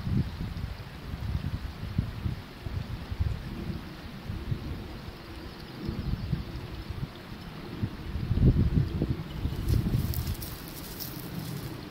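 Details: Low rumbling wind and water noise with no animal voice.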